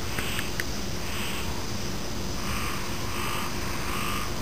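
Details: Frog calls mixed with insect sounds: a few spaced, grating croak bursts about once a second. A constant shrill insect hiss stays high above them and low background rumble sits below.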